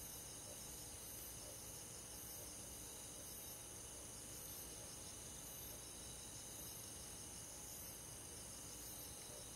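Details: Crickets chirping among other insects in a forest on a summer night, an unbroken, even, high-pitched pulsing drone with faint rhythmic swells in the upper band.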